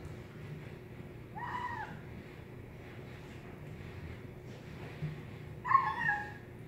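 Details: Kitten making cute nom nom noises while eating indoors; two short rising-falling mewing sounds around 1.5 and 6 seconds over a low steady background hum.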